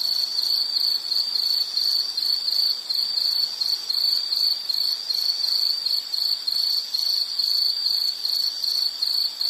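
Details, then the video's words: Rhythmic insect song of bright, high chirps, about two each second, sustained at an even level with slight wavering in loudness. "Sound · Nature Sound of nature sounds scenery L · insect"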